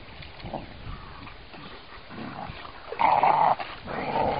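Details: Puppy whimpering softly at first, then two louder, strained, whiny cries near the end, with a faint hiss throughout.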